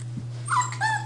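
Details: Seven-week-old bulldog puppies indoors; one gives two short, high whining squeaks in quick succession, slightly falling in pitch, over a steady low electrical hum.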